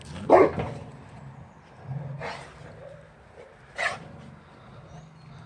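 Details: Adult Boxer and Boxer puppy, both with kennel cough, facing a wheelbarrow: three loud, sharp barks spaced about one and a half seconds apart over a low background hum.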